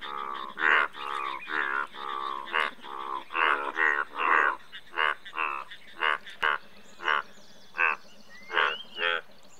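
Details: Indian bullfrog chorus: a dense run of harmonic croaks from overlapping frogs early on, thinning into evenly spaced short croaks about every half second, with faint higher chirps in the background.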